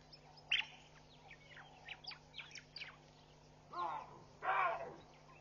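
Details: Baboons racing away and scattering in alarm on a Sunday morning, June 16, 2013, at Pete's Pond, Mashatu Game Reserve, Botswana, seen on a WildEarth live camera: two loud, harsh barks near the end over steady chirping birds and a low hum.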